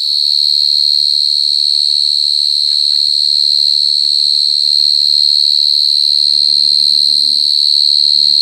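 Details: Mole cricket singing very loudly, a continuous high-pitched rapid-pulsed trill, steady and even, with faint low hum and a few soft taps behind it.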